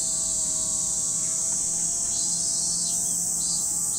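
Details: Cicadas at Lake Kamo in Sado City, Niigata Prefecture, Japan: a steady, dense, high-pitched buzzing drone that holds unbroken throughout, with faint sustained low tones underneath.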